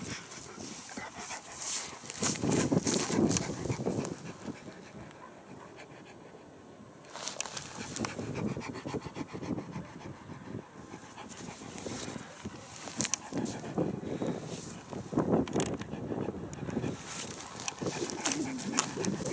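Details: Caucasian Ovcharka dog on a walk on a hill, panting in quick, breathy bursts about three or four per second, easing off into a quieter stretch around five to seven seconds before the rapid panting picks up again.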